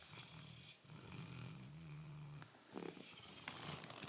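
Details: Sleeping Bernese Mountain Dog and Labrador mix snoring, a low droning rasp that rises and falls through the first two and a half seconds, then breaks into softer snuffles and faint clicks.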